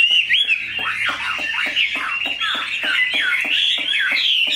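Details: Large, tame caged Chinese hwamei singing a dense, slurred, warbling song with wavering whistles and a regular pulse of short clicks beneath.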